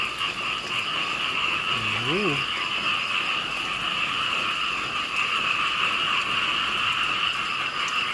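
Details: Small frogs call in a loud massed chorus, a continuous buzzing drone in two bands. A brief rising-then-falling whistled sweep cuts in near the start.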